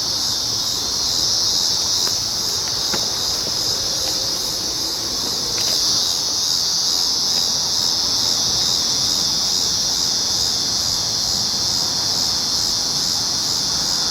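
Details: Cicadas on July 19, 2019: a steady, shrill, continuous buzz that holds at an even intensity throughout, with a few faint clicks over it.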